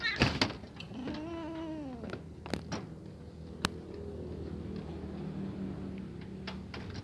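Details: Hungry kitten meowing while watching a pair of cats eat together; one drawn-out, slightly falling meow with clear harmonics, then clicks and knocks over a low indoor hum.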